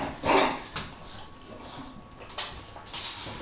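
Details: English Bulldogs telling an 8-week-old puppy no while they keep a stuffed toy to themselves. One loud, harmonic grumbling burst opens the clip, followed by softer scattered noises and quiet indoor background.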